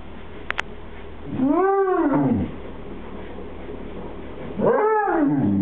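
Two long, mellow moans from a Basset Hound, each swelling upward and sliding back down over about a second. The dog seems to be trying to tell its owner something, with quiet room noise between the calls.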